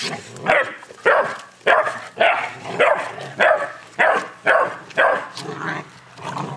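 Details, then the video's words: Angry eleven-week-old Boerboel puppy barking in a steady run of sharp, hoarse yaps, about eleven in six seconds, each spaced roughly half a second apart. "Little angry boerboel"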